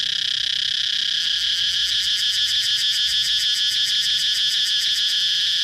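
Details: Cicada singing: a loud, steady high-pitched buzzing drone that breaks into a rapid, even throbbing pulse from about one second onward and keeps it to the end.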